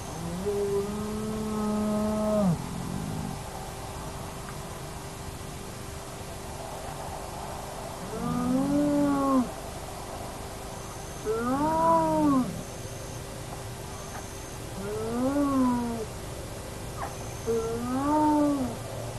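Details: Naledi clan hyenas at their active den, remote camera: five separate low, harmonic moans, arched and bending down at the ends, each about one to two seconds long and irregularly spaced, with steady electronic hum.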